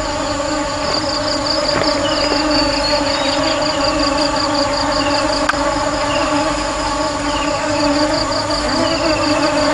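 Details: Honey bees give a sustained, humming drone rich in overtones. Brief rising whine-like tones and occasional taps break the constant buzz.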